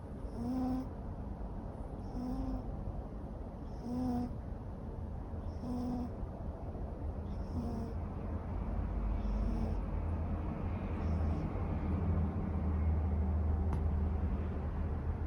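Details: Raga, a neutered male Ragamuffin cat born May 2014, snoring while asleep: soft nasal snores repeating roughly every two seconds, fading in the second half beneath a steady low hum.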